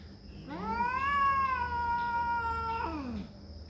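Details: Territorial cat fight: one long, steady, tonal yowl lasting nearly three seconds, rising at the start, holding flat, then sliding down at the end.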